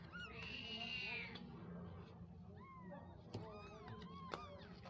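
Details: Mother cat with newborn kittens born on the ground, calling to them with meows: a long high drawn-out cry early on, then a run of short arched mews close together, with low background hum.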